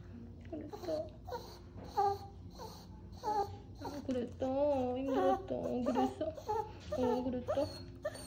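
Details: Maltese dog, recovering from right cranial cruciate ligament rupture surgery done the day before, greeting its owner at the first hospital visit with drawn-out, wavering whines and whimpers, some rising and falling, amid people speaking indoors.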